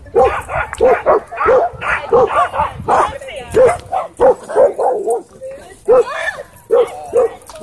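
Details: Doberman and Belgian Malinois in a dogfight at a dog park, with an e-collar correction: dense bursts of sharp, harmonic barks, several per second at times, with brief gaps and human voices mixed among them.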